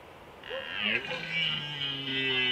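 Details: Red stag during the 2021 rut in Slovakia's Small Fatra range gives a hoarse, wavering roar that bends up and down at first, then settles into a sustained low bellow for about two seconds.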